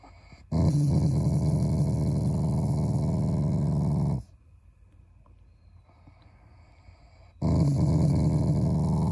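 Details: Shiba Inu growling at its owners as a loving gesture, not out of anger: a long, steady, low gravelly growl of nearly four seconds, a quiet pause, then another growl.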